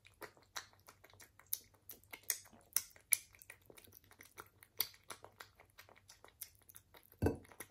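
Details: British Shorthair cat eating indoors: soft crunchy bites and clicks spaced irregularly, with light tapping like a bowl or dish, and one louder scrape near the end; no vocal calls, steady low hum beneath.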